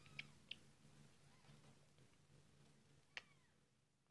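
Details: British shorthair/longhair kittens just a few days old, being fed indoors; three short, high, squeaky cries in about four seconds, two close together at the start and one later, over a steady low hum.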